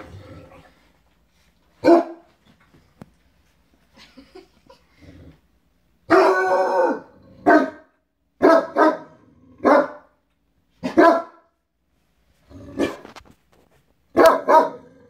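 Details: Great Danes, including Drake, a black Dane three weeks into his new home, rumpusing playfully on a bed indoors; sharp barks come in scattered bursts, some doubled or tripled, with short silent gaps between them.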